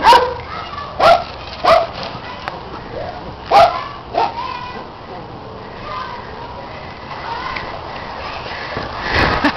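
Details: Pet dogs at play chasing a red Kong toy, one dog supervising and a neighbour's dog adding its voice; five sharp, short barks land in the first four and a half seconds, followed by quieter scuffling and a brief noisy burst at the end.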